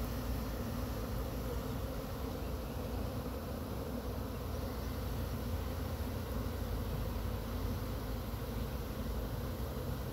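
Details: Unbroken low hum of a honey bee swarm being brushed from a pine tree into a hive box with frames near Chattanooga, the insects described as increasingly aggravated.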